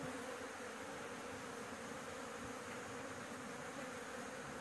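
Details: A honey bee colony on a house roof, heard during a honey harvest. An even, sustained droning buzz that stays level throughout, with no pauses and no other clear sounds.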